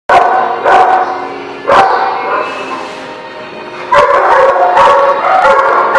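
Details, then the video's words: Dog barking at The Barking Lot on 27 March 2017: loud, harmonic barks in sharp bursts near the start, at almost two seconds and again around four to five seconds, with a quieter stretch between. "The Barking Lot"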